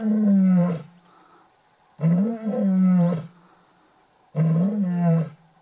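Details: Lion on a South African safari at Shamwari, Port Elizabeth, giving three deep, resonant moaning roars about two seconds apart, each a sustained low groan lasting around a second, with near silence between.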